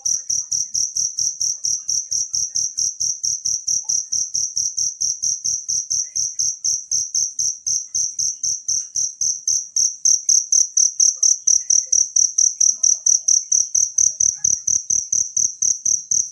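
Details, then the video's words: Wild cricket chirping, recorded as a natural model sound for training songbirds: bright, high ringing chirps pulsed steadily about four times a second, with no other clear sounds. "suara jangkrik alam"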